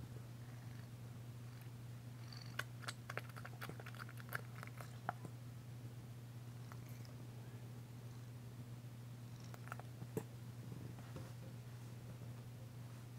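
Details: Danci, a female cat, purring while being massaged on February 9, 2022, her first purr since arriving. The purr is a steady low rumble throughout, with scattered soft clicks and rustles of handling.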